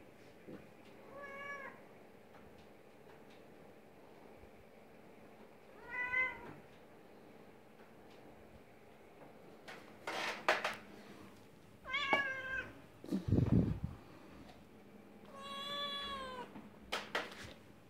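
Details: Young Oriental and Siamese cats at a cattery meowing in five separate calls across the recording, some drawn-out and wavering, some short and rising, with handling bumps and clatter between them.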